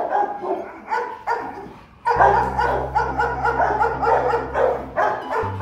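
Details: Rottweiler father Bruno and his seven-month-old son Igor play together on meeting at the Rottweiler Gervi kennel; a run of rough barks, several per second, over a steady low hum, with a man talking nearby.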